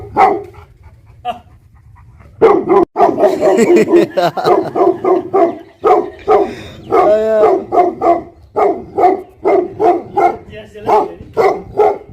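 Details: Tibetan Mastiff, known in Nepal as Bhote Kukur, kept as a livestock guardian dog. Deep, rapid barking in dense overlapping bursts after a short quiet start, with a brief whining tone midway.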